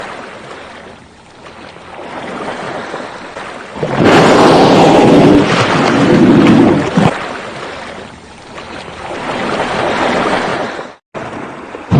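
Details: Sea waves and wind buffeting a microphone, with a loud rushing surge in the middle, softer swells either side, and a short dropout near the end; no animal voice.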